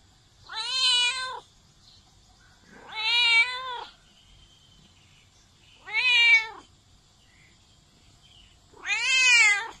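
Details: Four loud, arching meows from a domestic cat, each rising then falling and spaced about two and a half seconds apart against a quiet background; meowing used to attract cats.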